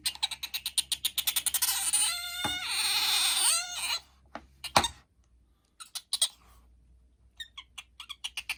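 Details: Pet otter Bingo, whose cries can be piercingly loud close to the ear, gives a fast series of sharp chirps that swell into a long, wavering, ringing squeal, followed by scattered softer chirps and clicks.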